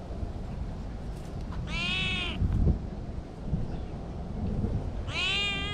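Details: Cats roaming and playing freely in a park; two clear, bright meows about three seconds apart, each a short harmonic cry held briefly then fading, over a steady low background rumble.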